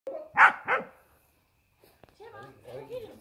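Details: Dick, a Border Collie, playing chase with a companion who hides in a hedge; two sharp, loud barks in quick succession, followed by a pause and then a person talking.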